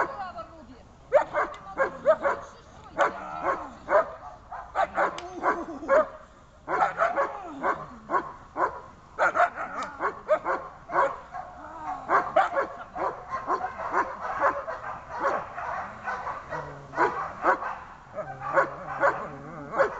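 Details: German Shepherd during its first protection training session, barking hard and repeatedly in rapid bursts for twenty seconds, each sharp bark close after the last, with human voices faintly mixed in.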